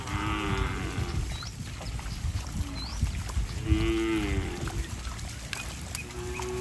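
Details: Cattle running and jumping in mud, splashing as they go, give two long, drawn-out moos, one at the start and another midway through. Brief high chirps and a steady rustle of movement and splashing fill the gaps between the calls.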